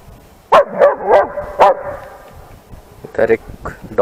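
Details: A 10-month-old trained long-coated German Shepherd barks at other dogs in loud, sharp bursts, several in quick succession.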